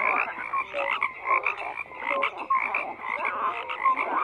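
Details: A frog chorus of steady overlapping croaks, with brief whistled tonal notes poking out every second or so above a continuous rasping bed of calls.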